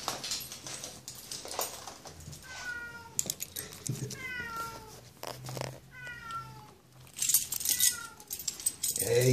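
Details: Zlatan, a pet cat waiting for his owner to come home, meows repeatedly in short falling calls with clear harmonics, spaced a second or two apart, while a man greets him softly in Dutch and keys jangle.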